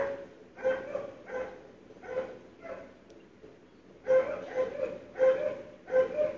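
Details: Repeated barking from dogs on a February 2012 morning, audible through closed windows; a few barks, a short lull, then a faster run of barks.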